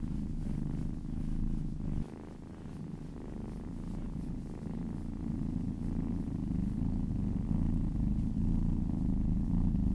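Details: Happy cat purring during a relaxing massage: deep, even rumbling that dips briefly in volume after two seconds, then resumes steady and slightly louder to the end.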